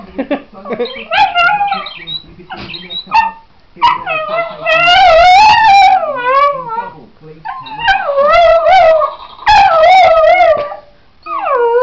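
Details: A Patterdale × Border terrier cross 'sings', howling in long, wavering, rising and falling notes with a few short yips between; it takes about 30 seconds to get going.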